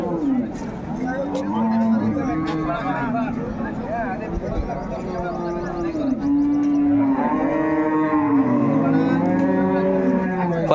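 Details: Cattle at Ambari livestock market near Dhaka, Bangladesh, with improved-breed dairy cows and calves on sale, 21 May 2024; overlapping long wavering moos from several animals, rising and falling, amid market voices.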